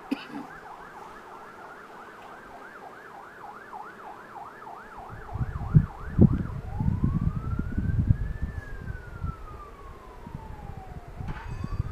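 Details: A siren yelps rapidly, then shifts into a slow rising and falling wail over rumbling traffic noise, with no animal sounds.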